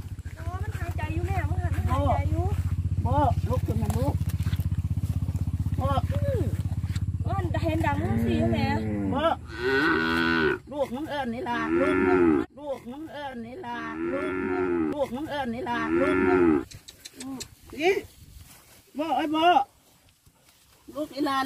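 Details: A calf bawls for its mother, which died in a canal after getting tangled in her rope, in drawn-out, wavering moos over an idling engine and voices.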